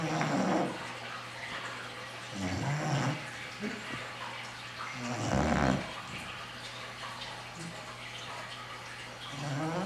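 An English Bulldog snores loudly, each rough, rattling breath coming about every two and a half seconds.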